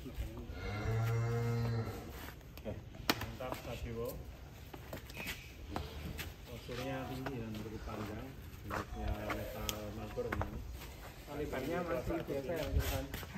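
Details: Sadewa, a huge fattened bull called the biggest in Cirebon, Indonesia, coming out of its pen: a deep, drawn-out moo early on, then shorter lowing calls later, mixed with men talking and background music.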